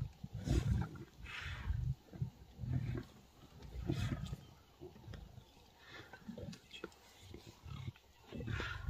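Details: A pride of lions in Africa growl and snarl in deep, rough bursts, repeated irregularly, while feeding on a warthog kill. Lion.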